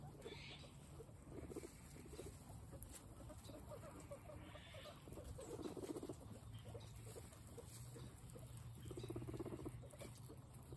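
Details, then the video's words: Several guinea pigs snacking calmly. Rapid, dense crunching and nibbling runs almost without pause, swelling in louder patches of chewing over a constant low background hum. "Guinea pigs having peaceful snack time"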